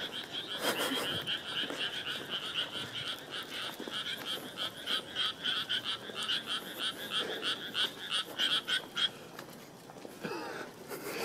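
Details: Frogs calling at night beside a path to a university, a dense chorus of rapid rattling croaks pulsing several times a second, then the calling falls away near the end as people pass; faint voices and rustling.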